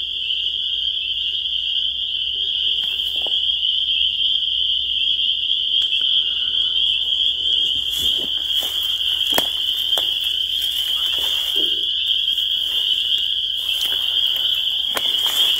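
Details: Many spring peepers calling together, producing a constant high-pitched ringing chorus of overlapping peeps, while scattered clicks and rustling noises grow more frequent in the later half.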